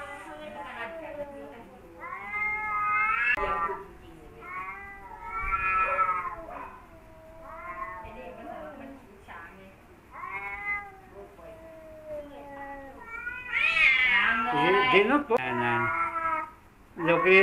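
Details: Rival male house cats, one of them once wild, facing off: repeated wavering, tonal yowls rise and fall in uneven bursts, building to a louder, harsher, more intense outburst near the end.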